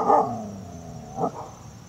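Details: Siberian Husky puppy mad at a wheelbarrow, 2017; one loud bark trailing into a low sliding growl, then a shorter second bark a second later, over a faint high-pitched hum.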